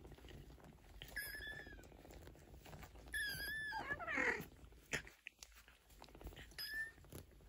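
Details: Maine Coon kittens at 15 days old, with mother cat Geza nearby, give several thin high mews that rise and fall, some drawn out and overlapping around three seconds in, then a short faint mew near the end; indoor rustling underneath.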